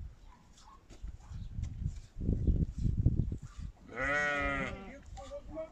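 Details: Cattle at a brown cow's unassisted calving in a village in Kazakhstan: after low rustling and thumps, one short harmonic moo-like call of under a second, rich and slightly nasal, then quieter movement.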